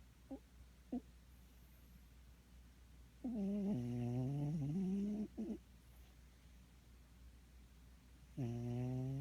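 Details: Droning snore from a sleeping cat. Two tiny faint blips come first, then a long wavering buzzy tone lasting about two seconds, and another low snore begins near the end. Otherwise quiet indoors.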